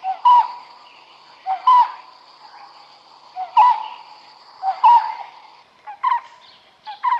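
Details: Smooth-coated otters fishing at Karnali River in Bardia National Park, Nepal. Loud, piercing squealing chirps come roughly every one to one and a half seconds, each a short rising-falling harmonic note, ending with quicker doubled squeaks over a faint steady hum.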